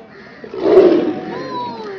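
A tiger gives a short, harsh roaring snarl during a fight.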